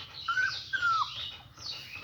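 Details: Newborn German Shepherd puppies, eyes just beginning to open, give two short high whistled squeaks, the first level and the second gently falling, over a faint steady hiss.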